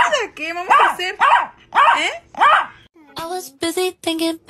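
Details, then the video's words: Angry Chihuahua puppy indoors, giving a series of short, sharp, high-pitched barks, some with a whiny, wavering edge, in quick bursts about every half second, mixed with a woman speaking Spanish. "The most Angry Chihuahua Puppy in the world"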